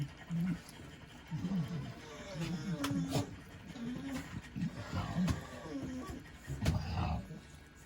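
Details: Shiba Inu puppy at its second weaning meal, giving short low grunting squeaks and soft whimpers in irregular bursts, mixed with wet smacking and lapping eating noises and sharp clicks.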